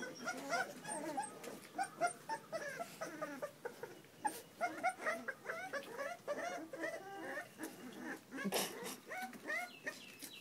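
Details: Several puppies whining and yipping, a dense run of brief, bending squeaks and whimpers repeated in quick bursts, with a few sharper yelps near the end.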